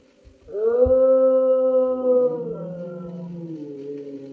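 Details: Wolf howl: a long, smooth harmonic tone that rises at onset, holds steady, then dips and fades into a lower, quieter second voice, with a few soft clicks at the start.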